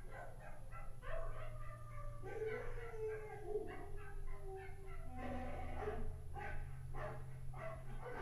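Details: Toy Fox Terrier barking: a run of short, yappy barks and high yips over a steady low hum, from barking sounds the terrier tilts its head at.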